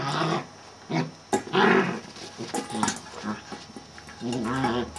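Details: Celtyr, a male Sheltie, barks in a rough, harmonic voice. Short bursts alternate with quieter gaps, and a longer yodeling outburst comes at the close.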